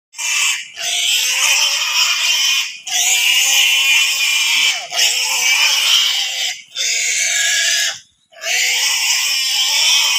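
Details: A pig bitten by a Komodo dragon in Komodo National Park screams in long, loud, harsh shrieks, each lasting about two seconds, separated by brief gasping pauses.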